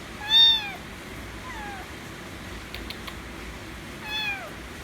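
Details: ['White domestic kitten meowing loudly to demand affection; two strong falling meows at start and end with a softer brief mew between, faint clicks in the background.']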